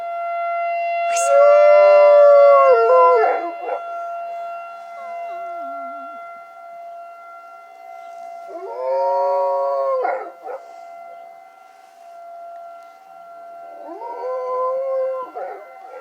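A dog gives long, wavering howls over the steady drone of a tornado siren.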